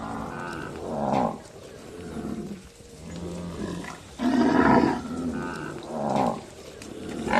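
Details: On a cattle farm in a village, cows low in deep, drawn-out moos, several calls overlapping one after another.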